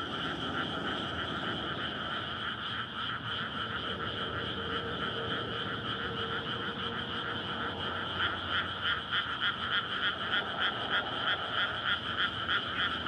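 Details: Frogs in a May rice paddy at night, calling in courtship once the field is flooded. Softer pulsing chorus that grows louder and more regular toward the end, with road noise and a faint hum underneath.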